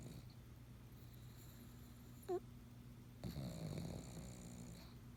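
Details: Pug asleep and snoring quietly, with soft rasping breaths, one brief high squeaky snort, and a faint low electrical hum throughout.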